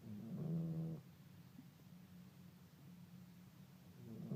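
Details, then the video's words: Sleeping dog lying down and snoring: a low, rumbling, throaty snore lasting under a second, then quiet breathing over a steady low hum, with the next snore starting at the end. "Sleeping dog lying (and snoring)"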